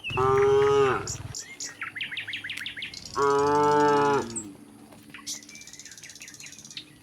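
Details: Herd of tame cows filing out of the barn to grassy pasture in fresh air and sunshine; two sustained, low, harmonic moos about three seconds apart, with quick bird chirps in between and after.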